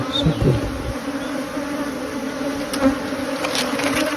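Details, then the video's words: Honey bee swarm during capture, giving an even, continuous low drone with a soft higher overtone, a few light knocks and rustles near the start and end. "Catching a swarm of honey bees"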